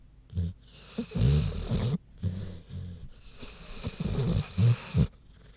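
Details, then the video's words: Sleeping pig Queenie snores in quick, gravelly low grunts, several rasping breaths packed closely together with brief silent gaps, a throaty rattle throughout. "Big Pig Snoozin' (HD Queenie Snoring Audio)"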